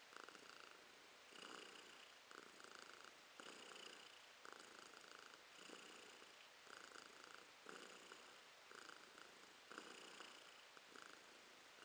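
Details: Romashka the cat purrs in January 2023: a rhythmic, buzzing purr in even surges about once a second, each swelling and fading with her breathing, clear and close over low room hiss.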